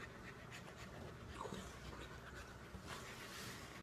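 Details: Samoyed panting while enjoying a head rub: rapid breathy huffs in steady bursts, with a person's voice nearby indoors.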